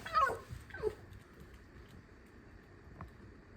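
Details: Indoors in a kitchen, a pet fox complains about life with two sharp, high squeaks that slide downward in quick succession, followed by quiet room noise and a faint later click.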